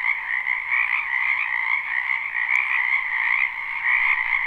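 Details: A steady wall of frog croaking from a wetland in spring, recorded live: dense overlapping trills holding an even pitch, with one short sharp tick partway through.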